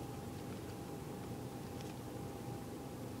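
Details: Steady broadband engine drone with a low rumble and a constant tone, like a vehicle or boat running, with no animal voice.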